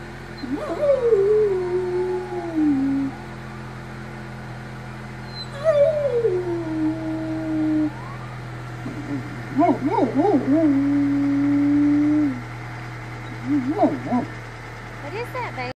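A large mixed-breed dog howls in long, falling, quavering notes with short pauses between them.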